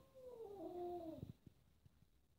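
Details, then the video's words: Kitten indoors, annoyed by a rough black cat while four cats play; one falling, drawn-out meow about a second long, then soft taps and thumps. "The kitten meows misunderstood"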